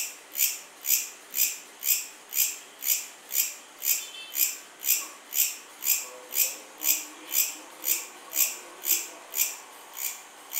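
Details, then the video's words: A cricket chirps in a steady rhythm of about two high, buzzy pulses per second; faint lower chirps and murmurs appear midway in the background. "Cricket Sound | Cricket Chirping"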